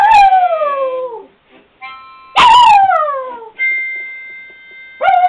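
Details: Pet dog singing along to guitar and harmonica playing a Zelda tune: long falling howls at about 0 and 2.4 seconds, a third howl starting at the end, with steady harmonica notes sounding between them.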